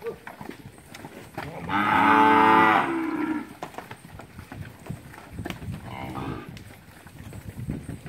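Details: Heifers and cows at Capira in August 2016: one loud, full moo lasting over a second, then a fainter, shorter moo a few seconds later amid light background clatter.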